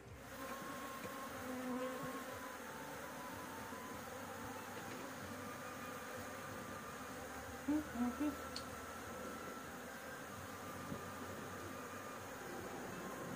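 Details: Many honey bees buzz at a roof nest as honey is harvested, a continuous droning hum with layered low tones. A few short bright squeaks stand out near the middle, and soft handling noise is heard.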